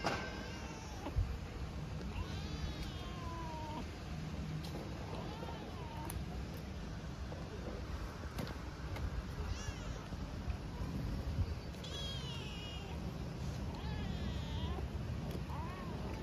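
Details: Homeless hungry kitten in Istanbul asking for food and affection with a timid voice; several thin, high rising-falling meows scattered through the clip over low rumbling street background noise.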